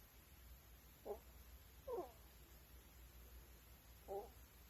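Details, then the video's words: Sleeping ferrets recorded at night give brief nasal squeaks, three short bursts spaced one to two seconds apart, against a quiet room hum. "Ferret Snoring"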